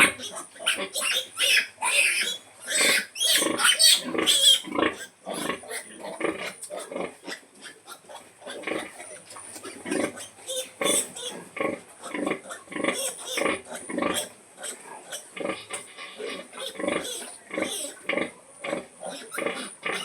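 A sow calls her piglets to feed amid a busy stream of squeals and grunts.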